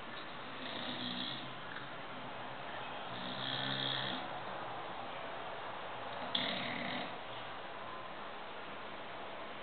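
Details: A six-month-old English Bulldog puppy sleeping in the dark snores in low, ragged rasps, breathy rumbles with a gritty edge, swelling and fading in uneven waves over quiet background music indoors. English Bulldog.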